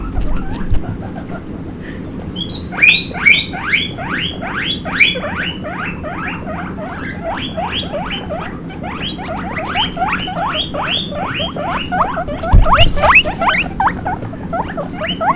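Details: Baby guinea pig running around, giving a fast, irregular run of short rising squeaks, puipui, about two per second, bright with overtones, over a steady low rumble.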